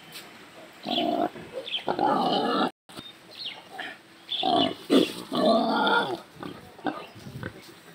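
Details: A pig squealing while being beaten as it is taken away, as a group of cows arrives to try to rescue it, outdoors in a rural setting. Harsh, noisy squeals come in irregular bursts, mixed with men shouting and talking.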